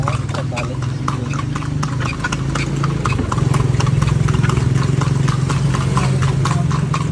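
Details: Horse carrying riders around Vigan: steady hoofbeats clopping about three times a second, loud sharp clicks over a droning low engine rumble and some voices.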